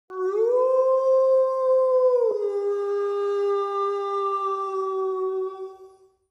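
A single wolf howl swells quickly and holds a smooth, slightly rising tone for about two seconds. It then breaks abruptly to a lower pitch and carries on steadily before fading out.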